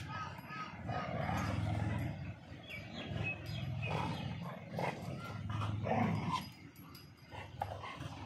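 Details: Two dogs, one black and one white, fighting in India; dense, overlapping rough growls and snarls with short barks breaking through, over a low rumbling background with faint voices.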